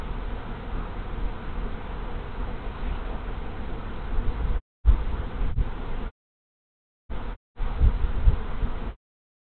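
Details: Large honey bee swarm arriving at a hive in March, steady low droning hum of many bees, interrupted by several short silent gaps near the end.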